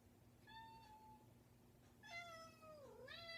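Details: A persistent domestic cat at a bedroom door gives two meows: a short level one, then a longer harmonic-rich call that dips and rises again, over a steady low indoor hum.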